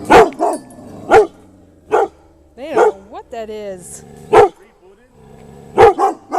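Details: Pet dogs reacting and protecting their family from a scary floating thing, barking repeatedly in short, spaced bursts with a rising whine between them while a person talks over them.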